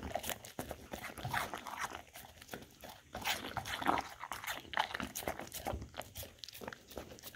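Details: Golden Retriever indoors eating from a charcuterie snack board of peanut butter, apples and blueberries, filmed on a Samsung Galaxy S10e; dense wet licking and crunchy chewing in quick irregular bursts, with one louder crunch near the middle.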